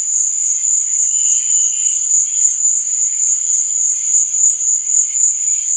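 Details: Crickets at night give a constant piercing trill that never breaks, with gentle wavering mid-pitched tones swelling faintly in the background.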